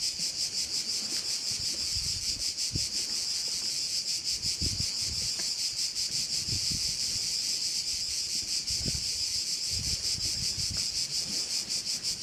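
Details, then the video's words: At a bay on Korčula island in Croatia, crickets keep up a steady shrill buzzing, evenly pulsed about three times a second, with soft low thumps of wind or rustling leaves. "view of one of the bays in Korcula with sounds of crickets"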